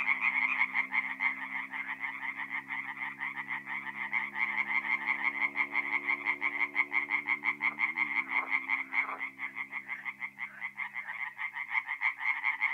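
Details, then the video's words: Chorus of tree frogs at a forest pond in North-East Italy, mid-April, at night. Fast, rattling pulsed calls overlap into a loud, uneven wall of sound over a low droning hum that dips and bends briefly near the eighth second. "relaxing forest pond by night with singing tree frogs"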